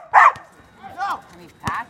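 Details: Border Collie named Sierra playing and jumping over another dog, Gia; short sharp barks or yips at the start, near one second and near the end, with some voice-like sound between.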